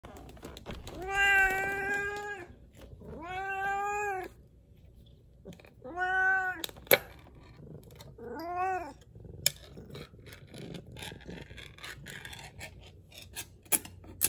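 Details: Siamese cat eating lunch indoors gives four drawn-out, nasal, harmonic-rich meows spaced about two seconds apart, each rising then falling, followed by chewing clicks and small bowl noises.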